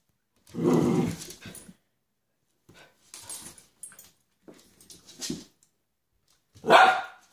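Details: Pet dog indoors in a small room, giving a loud rough bark, then a few softer short huffs and grunts, and another sharp bark at the end.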